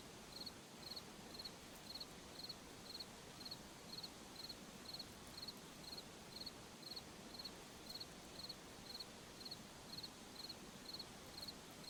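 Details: Crickets in a forest at night, giving short high trilled chirps in a steady series about twice each second, set over a constant soft hiss of background night noise.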